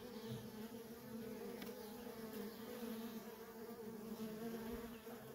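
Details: Continuous droning hum of worker honey bees streaming in and out of a feral colony, even and dense throughout with stacked tonal bands and no other clear sounds.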